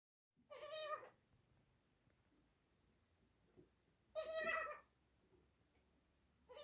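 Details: Newborn baby goat kid giving two wavering, nasal bleats a few seconds apart, quieter than the rest, with a faint regular ticking in the background between calls.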